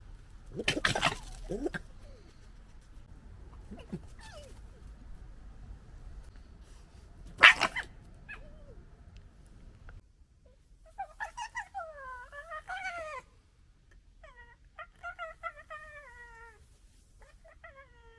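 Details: A red fox from a local fox family gives sharp bursts, then a run of high, wavering whines that bend downward in pitch, during gekkering, arguing and noisy interactions.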